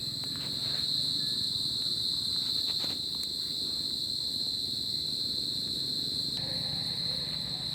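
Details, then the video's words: Crickets chirping through a summer night, a dense high trill that never pauses, with several sharp clicks and taps early on and a steady low background rumble. "Cricket Sound At Summer Night"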